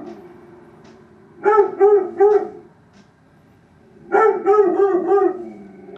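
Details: Dog barking roughly eight feet from a bedroom window, giving three quick barks, a pause of nearly two seconds, then a longer string of five or so rapid, tonal barks.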